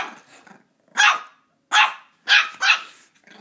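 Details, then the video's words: Ollie the Border Terrier puppy barking at his squeaky toy, four sharp, piercing yaps, the last two close together, after a soft low grumble at the start. "Border terrier puppy vs. Squeaky Toy"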